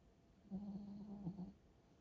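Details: Sleeping, tired dog giving one steady low nasal snore of about a second, slightly wavering in pitch, in a quiet indoor room.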